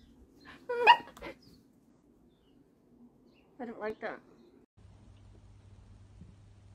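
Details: Miniature dachshund at play, giving two short bursts of high, strained yelping barks, one near the first second and another around four seconds, separated by quiet, followed by a low steady hum.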